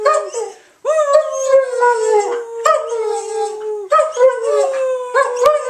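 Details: German Shepherd named Kaya howling along with her owner; repeated drawn-out howls that start with a sharp rise then slowly fall, each lasting one to three seconds, with brief yips between.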